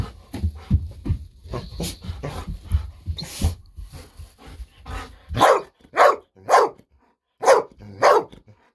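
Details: Golden Retriever Bis barking nonstop from joy as treats are about to be given indoors. Muffled rustling and movement noise come first, then five loud, evenly spaced barks roughly half a second apart.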